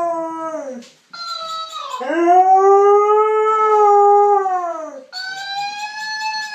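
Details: Husky howls in three loud tonal phrases: a short note that falls away, a long arched howl rising slightly and then sliding down over three seconds, then a higher held note; bright overtones stack above each call.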